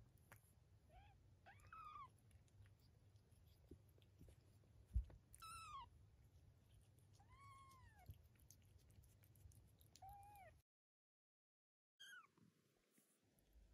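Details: Mother cat with her 23-day-old kittens indoors: several arched, tonal meows around one second long scattered through the recording, with a steady low hum beneath, a sharp knock near the middle and a brief silent gap.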